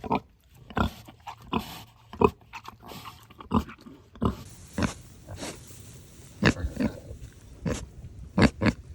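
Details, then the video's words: Sanctuary pig communicating with companions and people, giving a loose series of short, abrupt grunts and snorts at irregular intervals across nine seconds, some louder and sharper than others, over a low steady background hum. "What Sounds Do Pigs Make?"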